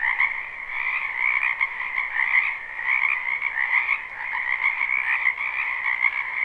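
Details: Frogs croaking en masse in a spring wetland, recorded live: continuous rattling trills layered into a dense chorus that rises and dips slightly in volume, with nothing else audible.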